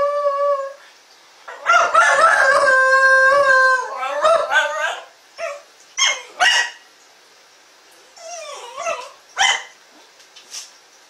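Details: Shetland Sheepdog newly taking up howling, giving a short steady howl, then a longer wavering howl that bends and cracks, followed by several brief rising yelps and falling whines with pauses between.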